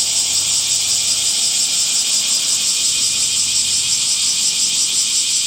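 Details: Summer cicada song as a continuous high, hissing drone with a slight rapid pulsing texture, no pauses, over a very faint low background hum.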